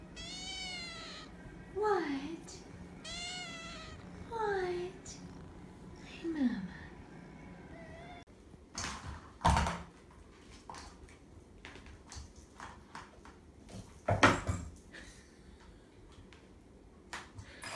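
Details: Nine-week-old kittens in a foster room calling with a run of short, wavering meows that rise and fall, about four in eight seconds. A woman's voice talks softly over them. Later, rustling, thumps and clattering household noises follow.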